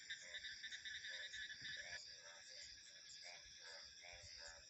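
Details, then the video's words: Rapid repeated frog croaks, roughly three per second, layered with bands of shrill insect and cricket buzzing in an ambient nature soundscape. "Frog Sounds 🐸 Insects, Crickets and Wind Ambience"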